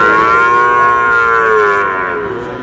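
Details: Sahiwal bull calf at a Dhaka cattle market on 16 March gives a single sustained, even moo that fades toward the end, with faint market bustle behind.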